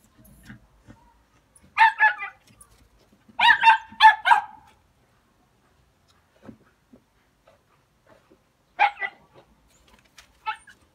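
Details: Hunting Jack Russell Terriers bark in short separate bursts: a quick pair, then a louder run of three or four harsh barks, a pause with faint yips, and two more brief barks near the end.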